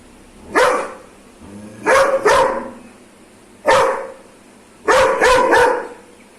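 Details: Aggressive Doberman letting out deep, harsh barks, a single bark, then a double, another single, and a closing triple in fast succession.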